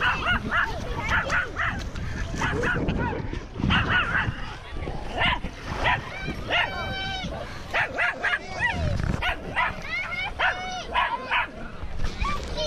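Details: Repeated dog barks, some with clear ringing harmonics, as loose off-leash dogs approach a male Siberian Husky on a walk around Lake Nacimiento; a man talks and calls the dog throughout.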